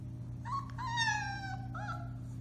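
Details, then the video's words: Four-week-old Alaskan Malamute puppy from the Bema and Cole litter, recorded March 30, 2021, indoors: a short, high, drawn-out tonal howl that slides gently downward, followed by a brief rising yelp, over a steady low hum. "Puppy Howling, 4-weeks old"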